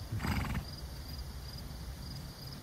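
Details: Wild horse herd of stallions and mares in Wyoming, USA: one short neigh with a bright harmonic stack lasting about half a second near the start, then low rumbling and quiet background with faint insect buzz.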